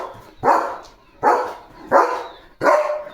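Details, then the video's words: Guarding the home at its gate, Leo the German Shepherd lets out four strong, evenly spaced barks, about one every 0.7 seconds, each with a sudden onset and a fading tail. "दिवस-रात्र गेटसमोर उभ राहून Protect करतो Leo The German Shepherd | घराचा खरा रक्षक"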